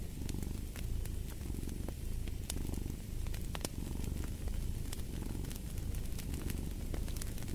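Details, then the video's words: Domestic cat purring steadily by a fireplace, a low rumbling throb that swells and eases roughly every second with each breath, while sharp crackles and pops from the burning fire break through on top. "the Purring of a Cat"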